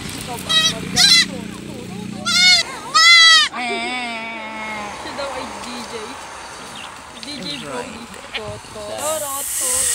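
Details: Harmless but mischievous farm goats giving a rapid run of four or five loud, trembling, nasal bleats in the first few seconds, then quieter voices, a vehicle passing and a last faint bleat near the end.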